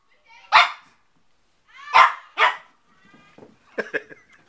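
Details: A 4-month-old Shih Tzu puppy named Bailey plays with his mirror reflection. He gives three loud, high yapping barks, one alone and then a quick pair, followed by softer mixed yips and a person's voice.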